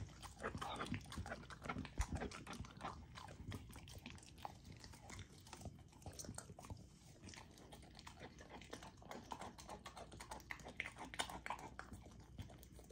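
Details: Golden Retriever puppy eating a raw dog food meal indoors; continuous wet licking, slimy slurping and smacking with quick crunches, fairly even in loudness throughout.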